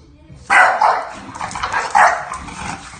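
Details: Bulldog puppy, an English Bulldog, establishing boundaries with its new sister: a sudden sharp yapping burst followed by a few softer yips and a second loud bark near the end, with faint murmuring in the background.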